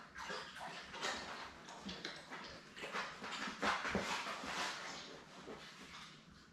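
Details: A litter of seven newborn Labrador Retriever puppies with their mother Belle, born May 24, 2021, on a puppy cam; dense overlapping squeals, whines and yelps from several pups at once, rapid and uneven.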